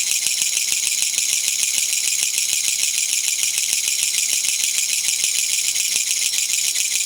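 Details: Kutsuwamushi, the Japanese katydid known locally as gachagacha, calling from a garden in Japan on 20 September 2014, released after flying indoors; a loud, grating, high rattle made of rapid pulses, about three per second, running unbroken throughout.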